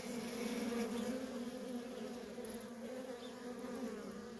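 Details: Worker honey bees stream nonstop around a feral colony, producing a continuous mid-pitched droning hum with two strong steady tones and a slight wavering in intensity.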